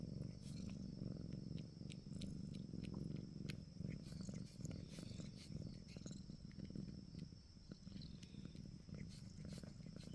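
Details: Purring cat, a continuous low pulsing rumble with fast even throbs lasting the whole stretch, overlaid by small intermittent clicks and soft rustles.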